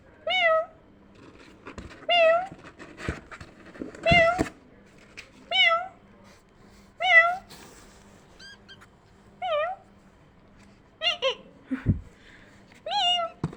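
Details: Kittens hearing a meowing sound like theirs: repeated short, high mews about every second, some doubled, with scattered clicks and bumps between calls.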